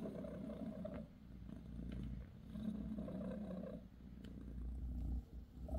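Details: Mother cat Bassy, a British Shorthair, tending her kittens with a massage; low, even purring rumble, less clearly divided into breaths, with a faint soft bump near the end.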